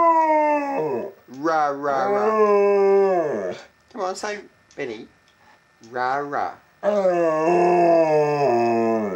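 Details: Pet dog Benny coaxed into howling at home while the house is empty; long, smooth, tonal howls bend upward and downward, alternating with choppy vocal bursts and a person's encouraging voice.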